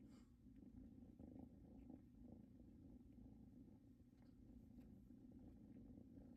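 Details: Continuous gentle purring from kittens Luna and Luxe, resting on a blanket that reminds them of their mother; a low, even rumble with soft breath-paced rises and a few faint clicks.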